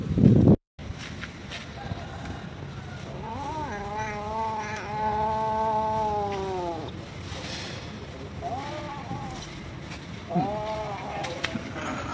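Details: Hungry stray cats and kittens living at a pagoda, fed rice and raw food: one long drawn-out harmonic meow lasting about three seconds, then two shorter meows, over steady low outdoor rumble and a brief loud knock at the start.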